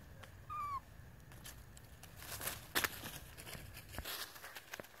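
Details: Baby monkey named Flit crying to beg for food in a park: one short, clear whistled cry that rises then slides down, with a fainter harmonic above it, followed by scattered clicks and rustling.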